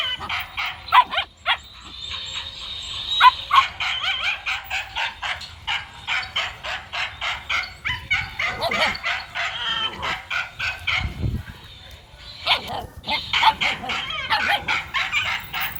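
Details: Male dog running, barking almost nonstop with quick, high, yelping barks in long rhythmic runs, a brief pause near eleven seconds with a low thud, then the barking resumes.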